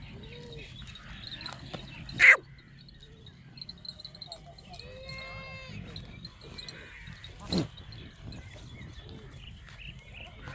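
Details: Farm goats in Banhyal give a few scattered bleats. Short quavering calls open the clip, then a longer, strongly wavering bleat follows midway. Two sharp knocks and faint background talk are heard between them.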